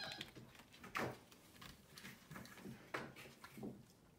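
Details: Two pet capuchin monkeys, MonkeyXander and Ohana, at a Sunday morning oatmeal breakfast in bed indoors. Two loud, high squeals slide downward about two seconds apart, with softer calls between them over faint room noise.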